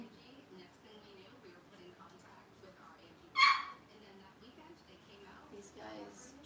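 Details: Newborn Blenheim Cavalier King Charles Spaniel puppy from Robin's litter of seven, born September 15, 2022, six days old, monitored indoors during feeding; one sharp, loud high squeal near the middle, with faint murmuring voices and soft room noise around it.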